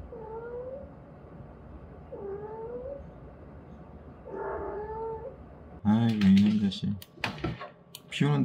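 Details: A cat that came into the yard and refuses to leave, on a rainy day, gives three drawn-out, slightly rising meows about two seconds apart, followed by loud human talking.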